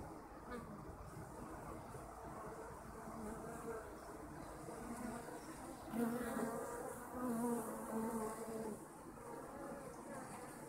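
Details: Kept honeybees droning steadily, a low humming buzz underneath, with louder buzzes from bees passing near at about six seconds and again around seven to eight seconds.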